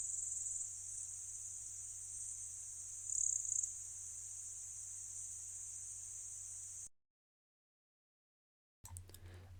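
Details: Bush-cricket, probably Pholidoptera littoralis, recorded with a microphone array in a meadow in Slovenia. It gives a steady, very high-pitched continuous buzzing hiss held for about seven seconds, then stops abruptly into silence, followed by a low hum.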